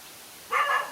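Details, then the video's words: Lone dog in a fight with two male dogs: one short, harmonic, slightly rising bark after a moment of quiet hiss. "No fear to fight a lone again two male dogs"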